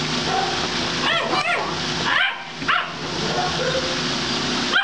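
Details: Castrated male German Shepherd that barks nonstop, tries to mount and urinates everywhere, still dominant; a few sharp, yelping barks in two quick pairs, with a steady hum of background noise throughout.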